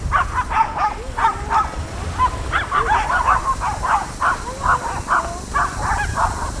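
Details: Four Jack Russell Terriers on Laem Ka beach, Phuket, Thailand, barking: quick, sharp, high yapping barks in a rapid run, with surf-like noise and wind behind.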